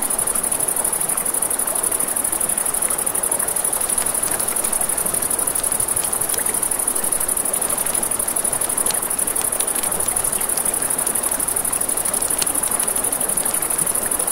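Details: Nighttime crickets near a river trill in a bright, unbroken high buzz, while sharp crackles and pops from a campfire punctuate the steady rush of flowing water underneath.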